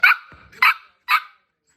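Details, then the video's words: An angry Shih Tzu barks three times in quick sharp bursts about half a second apart, each bark bright and high-pitched, followed by a person speaking in Kannada. "Angry shitzu bukkad"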